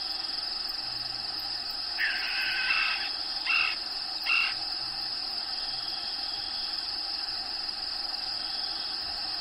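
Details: Crickets inside a bearded dragon's vivarium at feeding time keep up a continuous, high, even trill with no break; around the middle come three short, louder, lower scratchy bursts, likely rustling or movement nearby.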